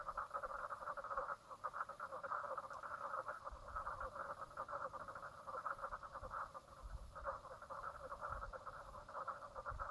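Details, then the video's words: Chorus of frogs at Brown Lake, Stradbroke Island, Queensland, Australia, 10:55am on 04/03/2017; steady rapid pulsed calling from many animals, with brief dips and surges in intensity over a faint low background. "frog sounds"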